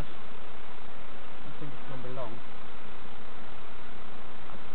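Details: A steady low droning hum from bees as novices inspect their hives in an allotment and community garden, with a faint murmur of voices briefly surfacing in the middle.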